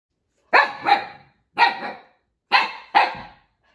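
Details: Siberian Husky puppy Echo barks at fellow husky puppy Juno, who stole his toy: loud, sharp barks in quick pairs, five barks over about three seconds, with short gaps between the pairs.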